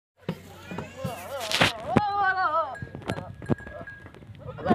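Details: Goat during natural mating with a teddy goat in Punjab province, Pakistan: a wavering, quavering bleat with stacked harmonics around two seconds, amid human voices and scattered clicks and knocks.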